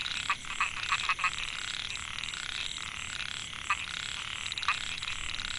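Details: Male narrow-mouthed frogs (Microhyla pulchra) calling for females in Mae Hia rice field, Chiang Mai, Thailand, 2014. Opens with a fast series of loud pulsed notes over a dense, rattling background chorus, then scattered single notes.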